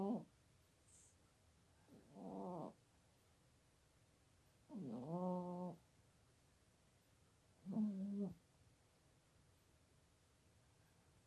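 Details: AMERICA, a sleeping female pet cat just shy of her 17th birthday, in her bed basket beside a PC in Toowoomba, Queensland, Australia, unamplified: droning, tonal, nasal snores with each breath every two to three seconds, with a faint regular ticking behind.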